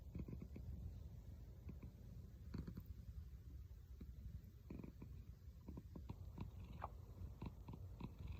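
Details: Domestic cat purring, a purr likened to snoring; a steady low rumble runs throughout, broken by scattered short clicks and crackles, indoors.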